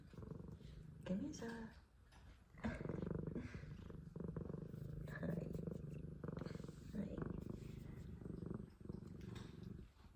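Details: Loud purring from a pet F2 Savannah cat: a long, low, droning rumble rising and falling with each breath, a short pause near two seconds, and brief human speech over it.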